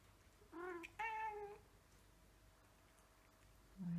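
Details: Hungry domestic cat begging for food indoors, giving two loud harmonic meows in quick succession, the second longer and slightly falling, followed by a brief low sound at the end; quiet room otherwise.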